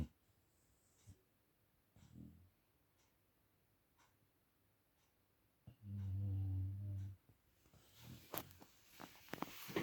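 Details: A pet dog snoring loudly: a faint low rumbling breath near the start, then one long, deep, droning snore lasting about a second, followed by scattered clicks and rustling.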